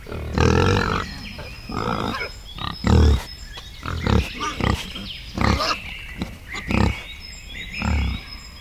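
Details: Wild boar in a forest producing a series of low, coarse grunts roughly every half second to second, varying in loudness, with a thin high-pitched background tone.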